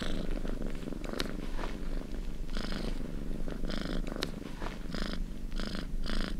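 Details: Relaxing purring of a domestic cat: a steady low rumble throughout, with brief brighter breathy bursts recurring every second or so, the purr never pausing across the stretch.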